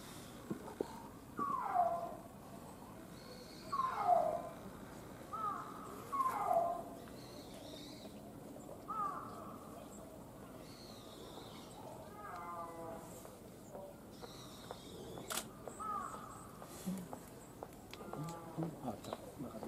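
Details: At Tama Zoological Park in Tokyo, Japan, a snow leopard gives short, falling mewing calls, repeated every few seconds.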